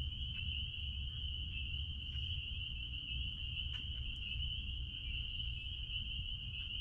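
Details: Unbroken high-pitched ringing from many spring peepers behind a blueberry farm, a few faint clicks scattered through it and a steady low hum underneath.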